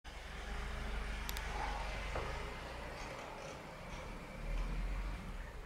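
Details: Outdoor traffic rumble with a passing vehicle, a brief high click and faint murmuring, no animal calls.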